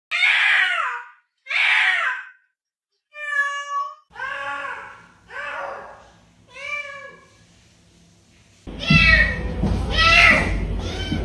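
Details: Cat making two kinds of sound: two harsh, raspy meows, then several clear, arched meows with falling tails, ending under loud music.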